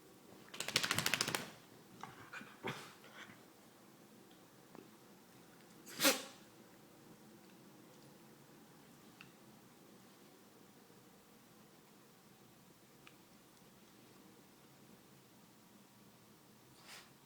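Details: Quijote, a pet dog with a cold, sneezes. A loud, explosive burst comes near the start and a second sharp snort about five seconds later, with faint clicks and rustles in an otherwise quiet room.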